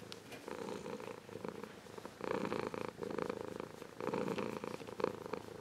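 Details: Adult Ragdoll cat, grown from a kitten, purring warmly close to the microphone; a buzzy rumbling purr with louder bursts recurring about every two seconds as the cat breathes in and out.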